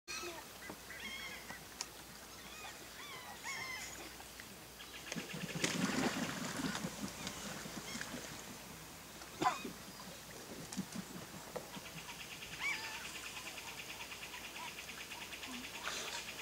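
Giant otters give loud, honking, harsh calls in short bursts over a busy background of chirps.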